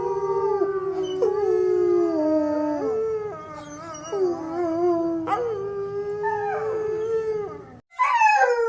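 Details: Drawn-out dog howl in several phrases, each a steady harmonic tone that steps down in pitch, with quick upward breaks between phrases and a short pause before a final rising yelp.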